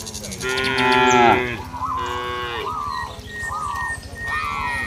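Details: Cattle roaming a village field, mooing to call companions back to the barn: a long, deep, drawn-out moo that swells then tails off, followed by several shorter, softer lowing calls, with a steady low rumble underneath.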